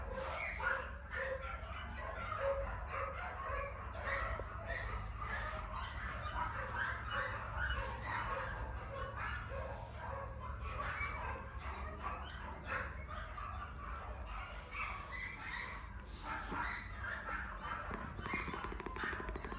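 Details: Young Keeshond pups chattering with busy, continuous yips, whines and little barks, many voices crowding together over a steady low hum.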